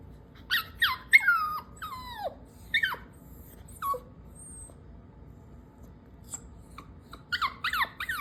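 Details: Pet dog caught taking socks and told to put them back, giving guilty-sounding high squeaky whines that slide downward in quick bursts, with a pause mid-clip before more short whimpers.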